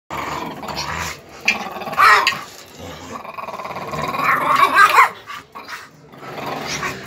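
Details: Five-month-old pit bull puppy growling in rough, rumbling bursts, swelling louder and harsher around the second and fifth seconds before easing, with short gaps between the growls.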